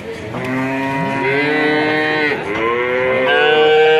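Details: Male calves on sale in Grabag, Magelang, Indonesia, lowing almost without pause: a long, steady moo that dips briefly near the middle, then resumes and rises slightly, with a second calf's call overlapping.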